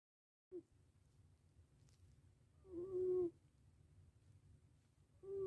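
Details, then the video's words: Pet cat Mr Chubby snoring while having a good nap: steady whistled nasal tones at a mid pitch, each lasting under a second and recurring about every two and a half seconds with the breathing, over a faint low room hum. "my mr chubby is haveing a good nap . he is snoring."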